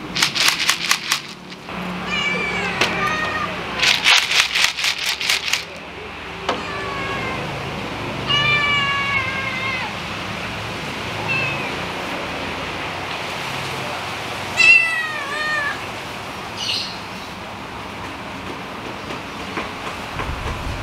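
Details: Outdoor kittens calling at meal time, asking for food: a run of repeated high, bending meows scattered throughout, broken by loud broadband rattling bursts near the start, with quieter meows later.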